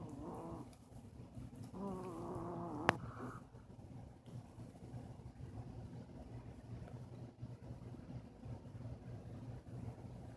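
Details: A two-year-old female chihuahua snores while asleep, giving two drawn-out, squeaky, nasal whines in the first three seconds, followed by a sharp click and then only soft breathing and faint room noise.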